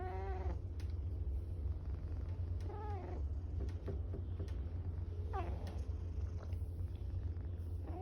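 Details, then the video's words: A tortoiseshell cat purring steadily while being petted, a continuous low rumble throughout, broken by a few brief soft rising chirps and squeaks. "Cat making cute noises ゴロゴロが止まらない 開心呼嚕的貓"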